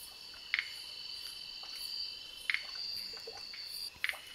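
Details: Twin-spotted flying frogs (Rhacophorus bipunctatus) at Fraser's Hill, Malaysia, found while herping in highland forest: short, crisp double clicks repeated three times at intervals of about one and a half to two seconds, over a steady, high-pitched insect drone.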